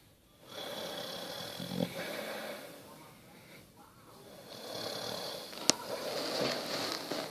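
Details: Bertie, a sleeping Basset Hound, snores indoors: a long, breathy, rasping drone lasting several seconds, with a brief sharp click near the end.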